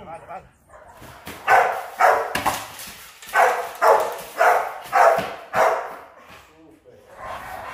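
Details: Guard-training session for Rottweiler puppies destined for high-performance guard work, with a steady series of loud barks, about two per second, and some voices in the background.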